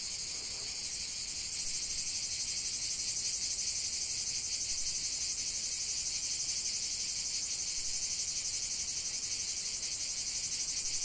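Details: Cicadas singing in a continuous chorus for nature relaxation: a dense, steady high buzzing with a fast pulsing shimmer, strongest in the upper register, joined by more voices after the opening second, with no other clear sounds.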